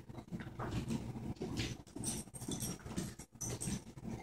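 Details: An English springer spaniel puppy playing with a cockapoo gives low, rumbling growls in short bursts, with soft shuffling between them.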